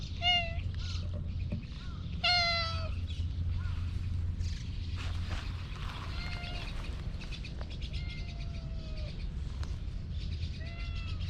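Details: Slim brown-and-white cat, recorded with a GoPro HERO8, meowing repeatedly: a short meow, a louder rising-then-falling one near two seconds, then several softer drawn-out meows later on, over a steady low rumble and light rustling.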